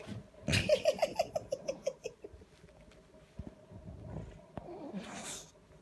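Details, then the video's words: At 7:30 on a Saturday morning a sulking Bulldog seeks attention with a quick descending series of about eight whiny yips, then soft snuffling grunts and a breathy huff. "Sulking Bulldog"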